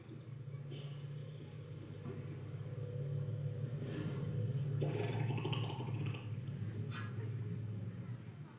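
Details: A family of elephants exchange deep, sustained greeting rumbles, a low-frequency throbbing drone that travels long distances, saying hello to one another.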